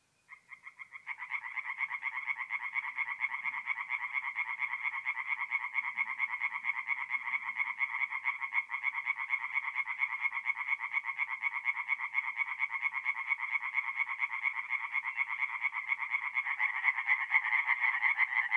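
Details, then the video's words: Dense chorus of singing tree frogs at a forest pond by night in mid-April, north-east Italy: a steady, unbroken stream of quick, harsh, pulsed croaks, loud and overlapping, rising slightly toward the end. "relaxing forest pond by night with singing tree frogs"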